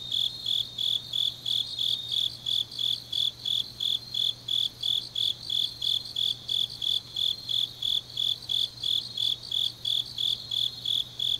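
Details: Grass insects in Changnyeong, South Korea, on a deep autumn night: a loud, high, steady chirp repeated just over three times a second, backed by a quieter high-pitched chorus and a faint low hum.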